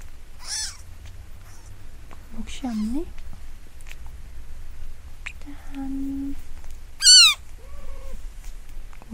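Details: Newborn kitten, five days old, possibly Munchkin, made to cry; scattered separate mews, one loud arched cry near seven seconds, plus a steady low tone and soft handling noise.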